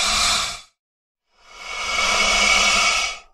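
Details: An American alligator, described as angry, gives two breathy, airy hisses: a short burst, a brief pause, then a longer one of about two seconds.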